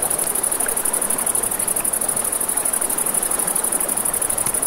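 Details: By a river at night, crickets produce a continuous high-pitched buzzing trill over a bed of gentle water noise, with a few faint crackles from a nearby campfire.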